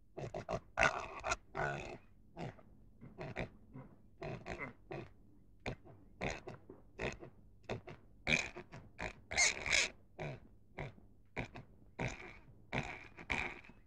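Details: Pig grunting steadily with many short, snorting bursts repeated about once a second or faster, a few louder squeals standing out midway, over a faint low hum.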